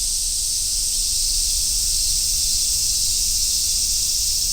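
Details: Cicadas, such as large brown and robust cicadas, shrilling on a summer forest road: a dense uniform high hiss with slight rapid flutter, steady loudness and a soft low-frequency rumble in the background.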